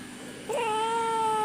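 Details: Kitten mewing during a Malayalam conversation with a person offering it food: a short rising onset leads into a drawn-out, steady, gently falling cry.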